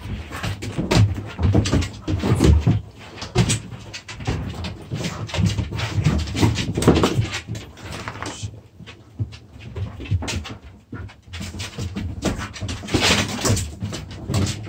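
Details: Two puppies play-fighting indoors in a small room: dense bursts of scuffling, panting and low rumbling noises, rising and falling in loudness, with a quieter stretch around the middle.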